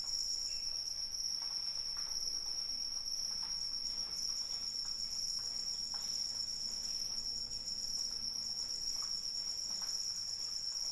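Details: Crickets trill in rainfall, one shrill steady tone joined by a second higher caller pulsing in quick beaded bursts, over a steady wash of rain patter.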